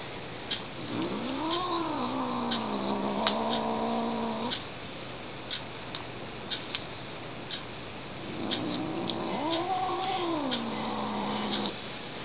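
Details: Domestic female cat indoors, not amused, yowling in a wavering, theremin-like way after a person taps her twice: two long moaning wails, each rising, swooping, then held steady for about three seconds, with faint clicks between.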